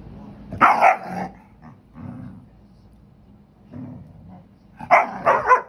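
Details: German Shepherd and pit bull mix, a three-year-old male, playing with his six-year-old sister, a hound mix; two bursts of loud barking at the start and near the end, with low growly grumbles in between.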